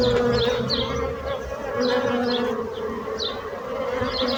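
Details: Steady bee buzzing forms a rich, humming drone throughout, with short rising bird chirps repeated in the background.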